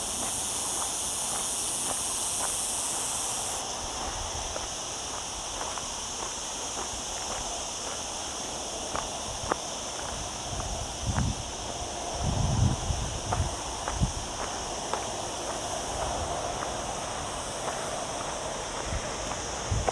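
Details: Cicada chorus in the olive-covered lower slopes of Sierra Llana, hot weather under cloud, Sony A6400 camera audio: a fainter sustained high buzz, softening after a few seconds, under clear repeated footsteps and clicks of a walker.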